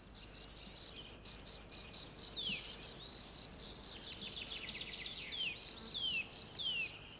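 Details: A male cricket, the only sex that sings, calls from near its burrow as the sun warms the ground. Loud, ringing, high chirps in rapid, steady pulses come from the right wing case bowing the left. Faint sweeping whistles sound behind.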